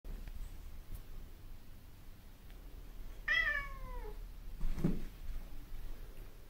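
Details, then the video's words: Male domestic cat meowing at another cat indoors: a single drawn-out, falling, harmonic-rich meow lasting about a second, followed by a brief low thump, over quiet room background hum. "Cat Meows At Another Cat"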